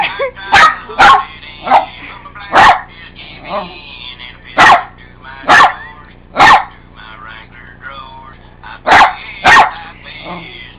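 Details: Pet dog Buddy reacting to annoying ringtones with a run of about a dozen loud, harsh barks in uneven bursts, some in quick pairs, with ringtone melody faintly beneath.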